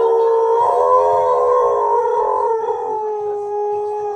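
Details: Siberian Husky, a male dog, singing along to a TV advert; a sustained wavering howl with rich harmonics, sliding slightly up then settling lower, holding steady for about four seconds.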